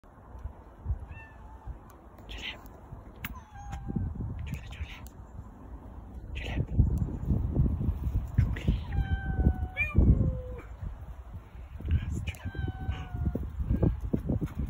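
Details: Several domestic cats, five in the household, meowing a lot: repeated harmonic meows, some falling in pitch, scattered through the recording over steady low rumbling and handling noise, with speech-like sounds in the background.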